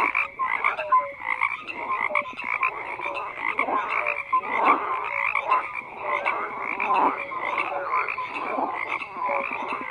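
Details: Chorus of frogs croaking, overlapping raspy calls swelling in louder bursts every couple of seconds, with short tonal notes sprinkled among the croaks.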